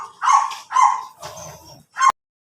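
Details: Pomeranian named CJ in Labrador, Pangasinan barking: two sharp high yaps half a second apart, a softer trailing bark with a low rumble beneath, then one last clipped yap before silence.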